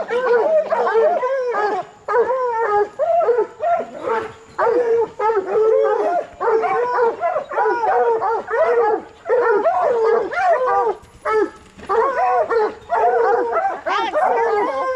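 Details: Coonhounds, bluetick and black and tan, in training to hunt raccoons, baying in overlapping bursts of harmonic, arched yelps and drawn-out bawls with short gaps, several dogs calling together almost without pause.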